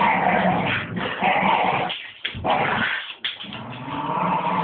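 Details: Two Staffordshire bull terriers play-attacking their owner: rough, continuous throaty growling with a dense low rumble, briefly broken by short pauses near the middle before the snarling resumes.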